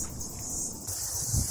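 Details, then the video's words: Cicadas sing in a steady, high, hissing chorus over a low rumble on a kiwi farm, heard from the road during a dry spell. "bir çiftlik, yoldayız. Ve bu sesler ağustos böcekleri şarkı söylüyor."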